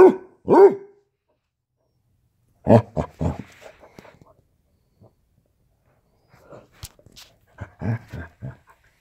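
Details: Basset Hound puppy in a standoff, opening with two quick barks, then a rough burst of gruff vocalizing and scattered soft grunts and whimpery noises after a pause.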